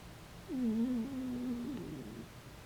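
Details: Dachshund asleep and occasionally snoring, its sleep noises described as whining cries or pigeon-like coos; here one long wavering nasal whine lasting nearly two seconds, sliding down and trailing off softly against a hushed indoor background.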